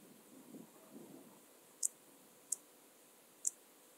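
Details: Intermediate Cross-backed Grasshopper (Dociostaurus brevicollis) at Zalahalap, Hungary, 18 July 2022, giving three isolated high, sharp clicks in the second half, preceded by soft low rustling.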